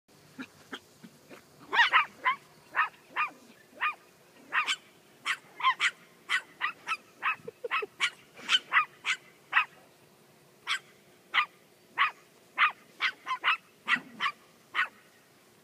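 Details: Toy poodles barking while attacking a fake deer outdoors; sharp high yappy barks in an irregular run of about thirty, sometimes doubled, with a woman's voice briefly heard.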